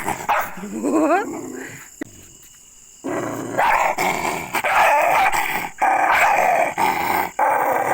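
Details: Angry, aggressive pet dog barking: after a quiet stretch, loud harsh barks come in rough bursts about once a second, with a brief whining rising tone early on and steady background hiss throughout.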